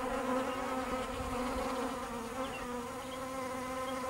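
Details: Steady buzzing of many bees, a thick droning hum with layered harmonics, slight wavering in pitch, no other clear sounds.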